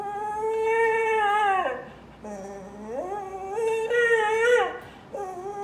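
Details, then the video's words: Dog crying indoors: long tonal whines with rich harmonics, one falling away, then a low moan rising into higher wavering cries and a short final whine. "Crying Dog"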